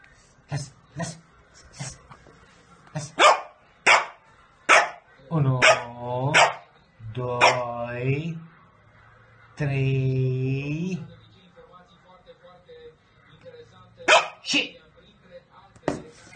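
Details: Eleven-year-old female Pekingese playing with her owner and other dogs, giving short sharp barks, then drawn-out whining yelps and a long howling cry near ten seconds, followed by a few more scattered barks.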